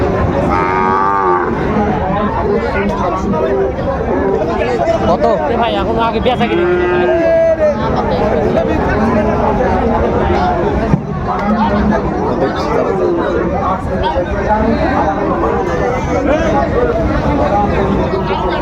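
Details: Sahiwal bull calves for sale at the start of the Raniganj cattle market in Dinajpur on 27 March 2025, lowing in repeated drawn-out moos over a steady din of crowd chatter and market noise.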